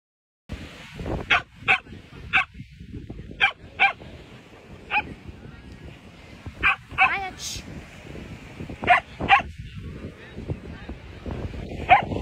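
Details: Pet dog on a beach house vacation, playing at the beach: about a dozen short, sharp barks come at irregular intervals of roughly a second, over a constant broad rushing background.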